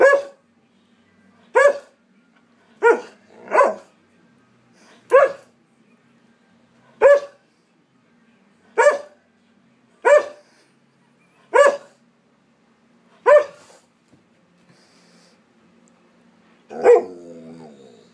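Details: A very argumentative Alaskan Malamute "talking": a long series of about eleven short, sharp bark-like calls at uneven intervals, ending with a longer, drawn-out wavering vocalization that trails off.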